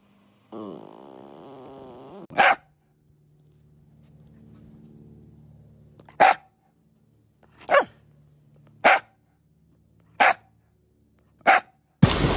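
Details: Jack Russell Terrier opening with a wavering, whining growl, then firing six sharp single barks spaced roughly one to one and a half seconds apart. Silence lies between them, and a burst of noise comes at the end.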